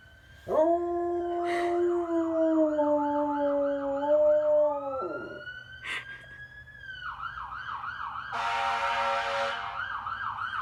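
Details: A sustained, even-pitched howl from Clyde the dog lasts about four seconds, joined by a warbling, siren-like wail that rises and falls above it, with a burst of broad noise near the end.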